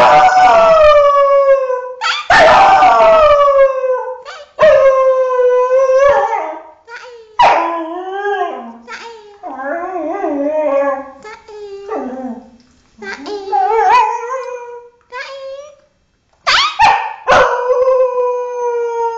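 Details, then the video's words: Thai Bangkaew dog, a six-year-old female, howling in a varied sequence: long falling tones break into wavering, yodel-like warbles and short yips midway, then resume sustained howls after a brief silence. "very funny dog howling!!!"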